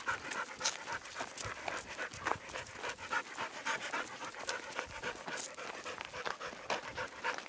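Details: Young American Bulldog mix at an animal sanctuary, recovering from a gunshot wound to the face, out on a walk beside a mutt; rhythmic breathy panting bursts, nearly two per second, with scuffing steps and light outdoor noise.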